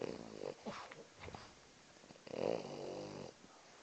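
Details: Max, a French bulldog taking a nap at work, gives rough, raspy snores in two bursts, the second longer and louder, with nasal snuffling between breaths.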